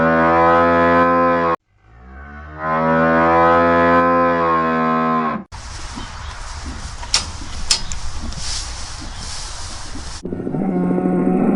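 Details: Cow on a farm giving two long, loud, deep moos, each richly harmonic and steady, separated by a short pause, followed by a stretch of rough outdoor noise and the start of another low call.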